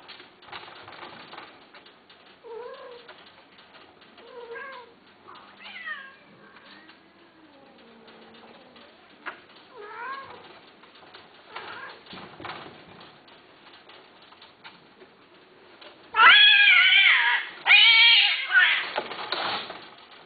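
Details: A female and male Himalayan, or Shirazi, cat mating: soft, rising and falling meows and low moans in the first half, then a sudden burst of loud, harsh, strained yowling toward the end.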